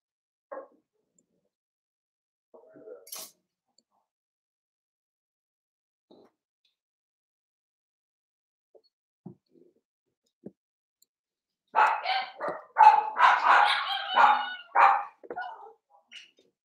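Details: Indoor pen of Cavalier King Charles Spaniel puppies playing: long near-silence with faint taps, then a burst of rapid excited yips and squeals for about four seconds before fading.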